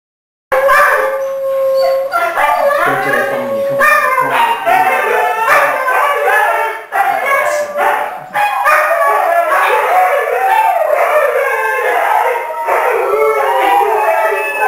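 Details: Six Siberian Huskies, including three foster pups, gated together in a living room during a dinner visit, howl in a group sing-along: overlapping wavering tonal howls rise and fall continuously, with brief pauses near seven and eight seconds.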